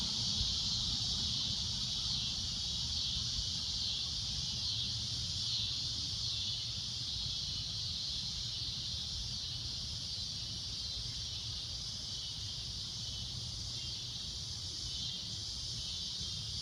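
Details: Shrill, loud cicada drone at sunset, continuous high buzzing that softens slightly after the first few seconds, with low background rumble.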